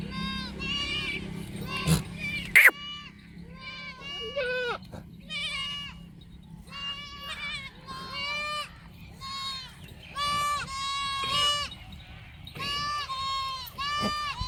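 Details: Goats at a farm giving repeated quavering bleats, about ten calls in quick succession from more than one animal, with a sharp knock early on and a constant low hum behind.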